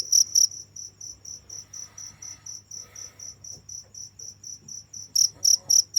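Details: Cricket chirps mostly soft and distant, pulsing rapidly at a quick steady rate, with a few louder bursts at the start and end over a low background hum.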